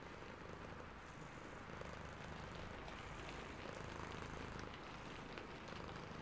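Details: Sleepy cat purring in the rain: low, pulsing purr repeating at a steady rumble beneath a dense wash of falling rain and soft droplet patter.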